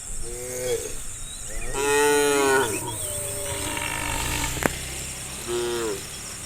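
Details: Tame cows in a herd walking along the road to green rice fields in the morning; three moos with rich stacked harmonics, the longest near two seconds, over a steady insect hiss and a sharp click.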